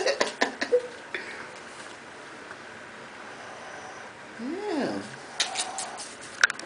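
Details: Whippet puppy Mia, 13 days old with eyes just opened, born 5-12-10, gives one short squeak that rises then falls midway, amid rustling handling noise and soft talk.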